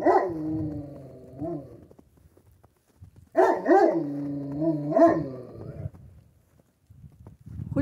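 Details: Central Asian Shepherd Dog, female, gives drawn-out warbling, yodel-like barks with strong harmonics, rising and falling in pitch over several seconds, while a person asks who she is barking at.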